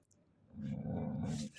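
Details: Golden Retriever named Simba, stealing a slipper, gives a low rumbling growl lasting about one second, with faint hissing noise at the end.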